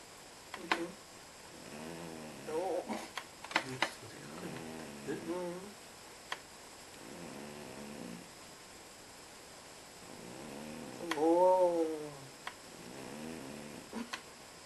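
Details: A sleeping cat snores in a quiet room: low, buzzy breaths coming in slow, uneven rounds, one louder wheezing breath near the end, plus scattered clicks.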